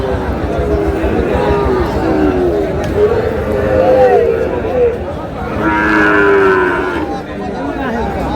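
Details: Sahiwal bull calves for sale at a busy cattle market in Sherpur, Bangladesh, 4 March: several moos, including a long wavering one midway and another near the end, over constant market chatter and men haggling.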